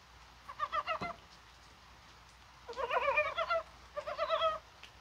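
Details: On a mild, rainy January 21 in Korea, mountain frogs give three bursts of rapid, nasal, clucking pulses, the middle burst the longest, with gentle rainfall hissing underneath.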